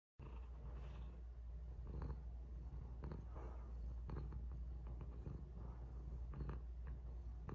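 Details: Cat purring while kissing a person: a steady, low, continuous rumbling purr throughout, with a few soft clicks and rustles close to the microphone.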